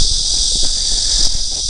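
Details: At the old mud houses on the outskirts of Dongying, Shandong, China, a cicada gives a continuous, high-pitched electric buzz that holds steady without a break.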